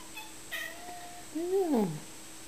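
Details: Male cat meeting a female cat: a short high meow, then a louder drawn-out meow that rises and falls, sliding down at the end, in a quiet room.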